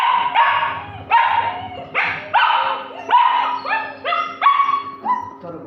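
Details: Several German Shepherd puppies whining almost without pause, overlapping high yelps that start sharply and slide downward, about one every half second, loud and close.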